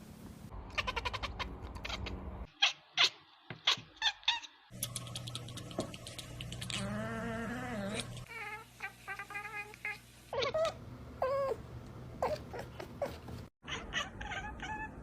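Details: Cats making weird, funny noises, an "ekekekkek" chatter: quick clipped chirps and short stuttering bursts mixed with wavering meow-like cries. Abrupt cuts separate the scenes over a steady low hum.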